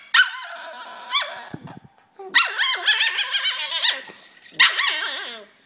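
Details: Poodle in China, presented as a two-headed poodle that keeps annoying itself. It gives high, whining yips with bending, wavering pitch in short bursts, with a longer run of rapid cries in the middle. No other sounds are heard.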